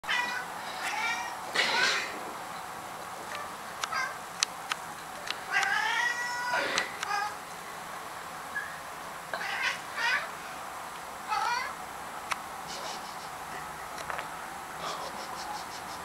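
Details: Domestic cat chasing something, giving a series of short, high, harmonic meows and chirps in bursts of two or three, with rising-falling bends, scattered across the clip alongside sharp clicks and taps.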